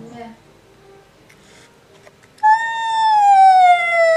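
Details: An angry male cat, upset by a black cat resting outside, gives a long, loud, drawn-out yowl that slowly falls in pitch.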